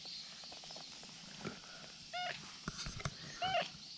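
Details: Brown tabby-and-white cat calling from a precarious spot above a slope, wanting to be petted; two clear, tonal meows about a second apart, each short and slightly falling, over a steady high-pitched background hiss and faint rustling.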